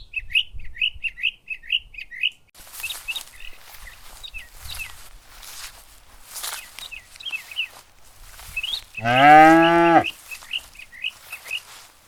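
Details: Cows searching for food on a lush green meadow in the countryside; one deep, rising harmonic moo of about a second comes near the end, over steady chirping of small birds throughout.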